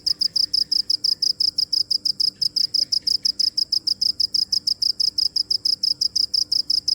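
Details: Cricket giving a fast run of sharp, high chirps, roughly six per second and fairly even, with a few faint softer chirps from another insect or bird mixed in near the middle.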